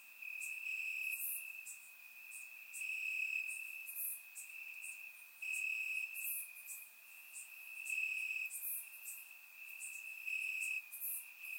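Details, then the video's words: Warm summer night in Bulgaria: crickets chirping in the grass give a constant high trill rising and falling in loudness, while brief very high chirps repeat roughly every second or two. "Cricket Sounds - Crickets Chirping at Night"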